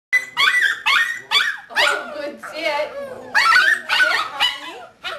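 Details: Seven-week-old male puppy from a fourth litter, recorded 26 January 2012: a run of about eight high, harmonic whining yelps in five seconds, some rising and some bending down, with short gaps between them.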